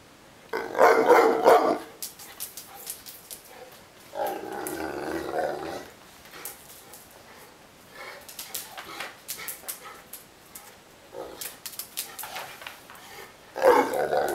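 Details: Neapolitan Mastiff complaining and wanting to play: three loud, hoarse, grumbling outbursts of about one to two seconds each, separated by quieter stretches with faint clicks and household noise.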